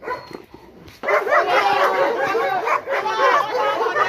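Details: A Rottweiler that was once fearful of being touched or approached attacks during guard-dog training while a trainer urges him on. After a quiet first second come dense, rough, overlapping barks and snarls, with a man's voice mixed in.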